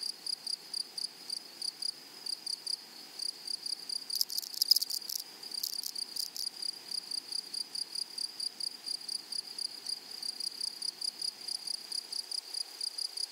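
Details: Grasshoppers in a flowering meadow keep up a fast, regular train of thin, high chirps. Partway through, a few louder, broad crackling bursts, like rustling or handling, briefly cover the rhythm.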